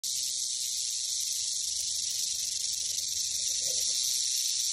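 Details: Western diamondback rattlesnake recorded in spring 2021, rattling: a continuous, dry, high-pitched buzzing hiss that holds steady without a break for the whole stretch.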